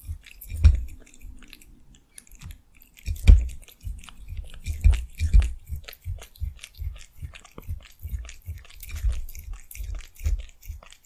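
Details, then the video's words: Cheese being chewed by a cat in close-up ASMR recording; loud irregular bites followed by a run of soft rhythmic mastication, crunchy clicks over muffled thumps in a small quiet room. "Mukbang Cat eating cheese asmr"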